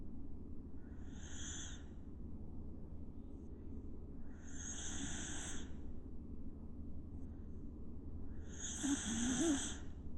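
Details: Pet dog snoring naturally in deep sleep, with no music added. Soft raspy snores come about every three to four seconds over a low steady hum. The final snore is a little louder, with a faint squeaky edge.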